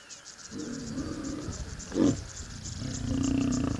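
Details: Mating lions in Kenya's Masai Mara National Reserve give low, throaty growls with a short sharp snarl in the middle, then a rising rumble, while insects buzz behind.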